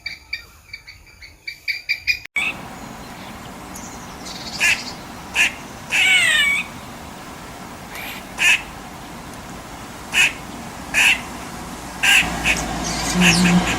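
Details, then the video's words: Squirrel calling with short, high, clipped notes repeated roughly once a second, each a brief bright chuck, after a cut-in of rapid ticking at the start. "Squirrel sound"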